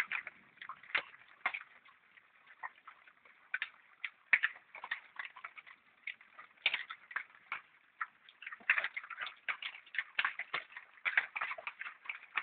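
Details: Wild boars in Hagen-Hohenlimburg, fed acorns collected by schoolchildren, smack loudly while eating because they like the food. Dense clicky, wet chewing smacks come in irregular bursts throughout, growing busier toward the end, with no other clear sounds.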